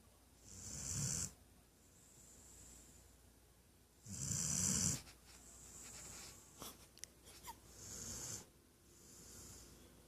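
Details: Weimaraner bitch snoring during a nap, three strong raspy breaths about three to four seconds apart, each pairing a deep rumble with airy hiss, plus faint snuffles between.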